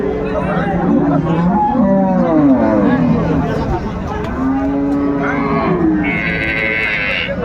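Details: Cows and calves at a cattle market in Ambari, Dinajpur, Bangladesh, 31 January 2025: low, drawn-out moos rising and falling amid crowd chatter and continuous talk, with a brief higher tonal whine near the end.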